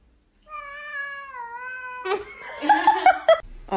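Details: A domestic cat draws out one long, steady meow lasting about a second and a half. Excited human voices and laughter then crowd in over the rest.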